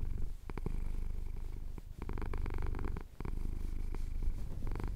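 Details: Close, loud purring from a male house cat having his chin scratched during a Cotswold sunrise: dense low vibrating rumble broken by brief pauses for breath, overlaid with sharp clicks and fur-rubbing noises.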